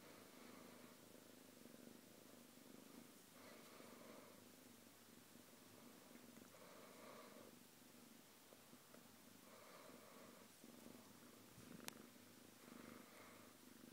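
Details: Domestic cat keeping up a soft continuous purr while relaxing with another pet; low rumbling with regular breathy swells every few seconds and a sharp tick near twelve seconds.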